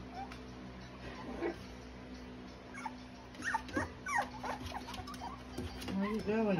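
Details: Cocker spaniel puppies whimpering, thin high descending whines clustered in the second half, ending in a longer wavering cry, over a steady low hum, with soft shuffling.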